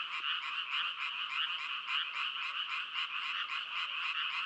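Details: Frogs croaking in a thick chorus, with rhythmic pulses about twice a second swelling and fading over a steady buzzing background.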